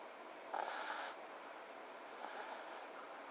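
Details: A snore from FICA, a French Bulldog asleep: one strong rasping breath of about half a second, then a fainter wheezy exhale, with a faint hum throughout.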